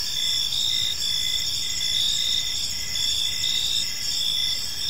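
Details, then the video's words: A chorus of crickets fills a calm park at evening, high, dense and ringing, with stacked trills that rise and fall gently in loudness and never stop. "Cricket Sounds in a Peaceful Park"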